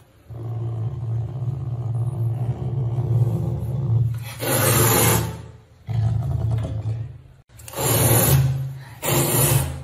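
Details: A caracal in Bali, being dried with a bath towel after swimming in a pool, gives a low, sustained growling scream broken by harsh rushing bursts of towel-rubbing noise.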